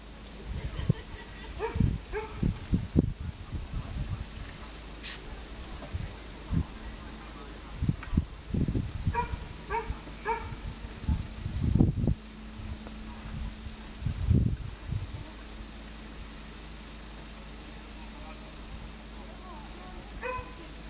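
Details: An upland green bush-cricket (Tettigonia cantans) sings long, high, buzzing trills broken by short pauses, over low thumps, at 14:09 in the afternoon on 3 August 2013 in Savonlinna, Finland.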